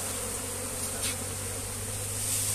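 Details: Thousands of honey bees around a comb being moved by hand, making an unbroken, dense, low humming drone.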